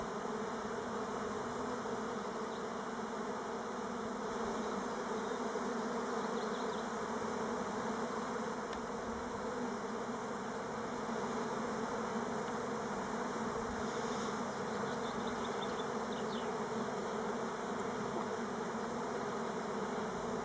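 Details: Orientation flights of Elgon Buckfast honey bees on Timrarö near Stockholm, not a swarm: a long, constant massed wing hum, steady in pitch and loudness throughout, with faint high chirps midway.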